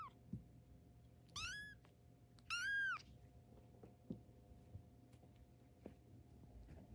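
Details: Young tabby kitten on its first steps, two clear high-pitched mews about a second apart, the second louder and longer, with soft shuffling and faint room hum.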